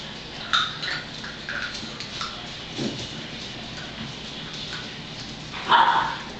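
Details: Hazel's puppies, ten weeks old, having a snack: scattered clicks and soft chewing noises, then a short, loud, tonal puppy yelp near the end against a steady background hiss.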